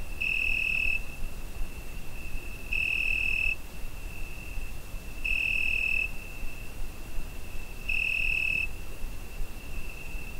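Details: A Zoom H5 picks up crickets on a summer night: a sustained high, whistle-pure trill with four intensified bursts of under a second spaced about 2.5 seconds apart, over steady low background noise.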